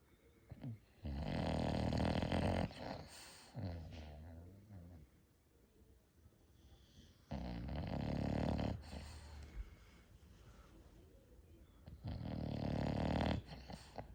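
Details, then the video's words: English Bulldog, one of five in a household, snoring loudly indoors while asleep; three long, rumbling, rattling snores about four to five seconds apart, each rough and buzzy, with softer breathing between them. "Those Famous Bulldog Snores"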